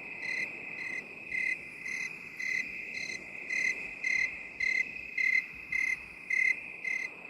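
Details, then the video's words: Steady cricket chirping in binaural 8D sound, a run of about thirteen short shrill pulses repeated every half second or so above a continuous high buzz. "8D CRICKET SOUND"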